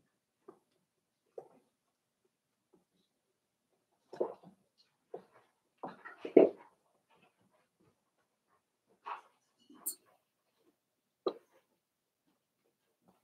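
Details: Five-week-old Cavalier King Charles Spaniel puppies in their indoor pen; short whimpers and squeaky yips in loose bursts, a louder cluster midway, then scattered single cries with silence between.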